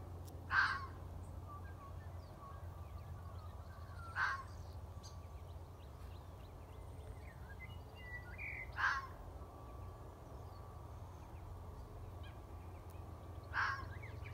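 A fox gives single sharp, hoarse barks, each one spaced about four seconds apart.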